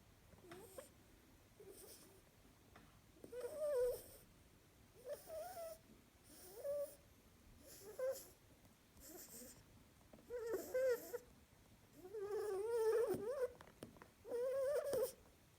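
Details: Female harlequin rabbit talking in her sleep, snoring: soft nasal squeaky whimpers with faint harmonics, in short bursts roughly every one to two seconds, some longer wavering notes, quiet room.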